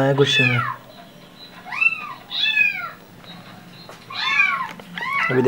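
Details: Angry Persian cat indoors with its eyes closed. It gives four loud, harsh meows that arch up and then fall, with a person talking quietly at the start and end.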